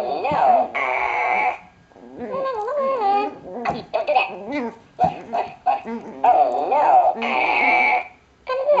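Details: A Chihuahua puppy playing with a ball on a blanket gives high, wavering whines broken by short yelping bursts.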